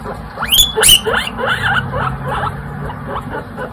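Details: Two baby guinea pig brothers, Pistachio and Pumpkin, kept as pets: a pair of sharp, high squeaks sweeping steeply upward, then a quick run of short chirping notes, with a faint steady low hum underneath.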